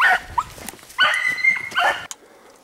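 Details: Hounds chasing a hare on a spring coursing run. A short yelp is followed by a drawn-out, wavering, high bay lasting about a second, then another bay that breaks off abruptly. A brief click comes at the end.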